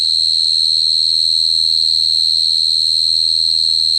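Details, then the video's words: Cricket song as one uninterrupted high, steady trill with a faint overtone above, against a quiet low hum. "Cricket sound effect(cricket sound)"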